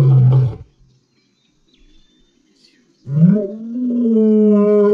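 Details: A black-maned lion in the Central Kalahari Game Reserve, Botswana, gives deep, rumbling roars, a short low burst followed by a longer moaning roar.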